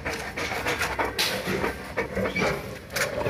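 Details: Panting from a Boerboel (African Mastiff) kept in Egypt: quick, rhythmic, airy huffs repeated steadily for several seconds over a low, constant rumble.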